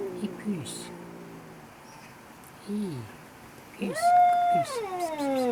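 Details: Very angry cat screaming and yelling: low, drawn-out moaning yowls, then a louder, higher wavering howl that slides down at the end, with a person calling softly and background hiss indoors.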